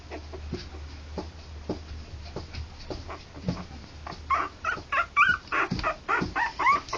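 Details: Three-week-old harlequin poodle puppies, born October 28 2009: after quiet shuffling, a burst of high, squeaky whimpers and yips breaks out in the second half, about one per second, wavering up and down over a low hum.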